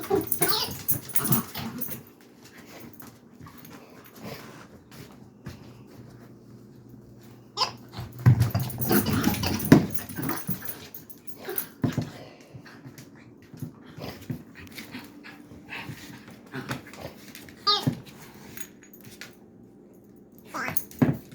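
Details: Dachshund frustrated by a squeaker toy indoors, tugging at it to get the squeaker out: sparse short whimpers, a brief growling burst midway and an occasional sharp yip among rustling and chewing noises.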